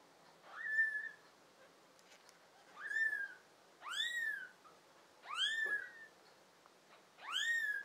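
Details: Small tabby kittens, five in the litter, American Shorthair and tabby parentage, recorded in summer, June 2022: five high, thin meows spaced about 1.5 seconds apart, each rising sharply and then sliding down, against near silence.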